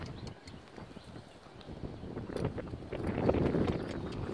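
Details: Six-year-old registered Appaloosa gelding Echo (BR Bigshot), 16 hands, worked in the evening at jog and extended gaits, turning and switching leads; dull, rapid thudding hoofbeats and scuffing on soft footing, growing louder toward the end, with faint background noise.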